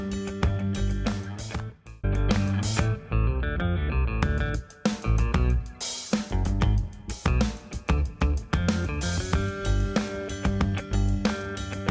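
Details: Guitar-driven band music with bass and drum kit, with no animal voices heard.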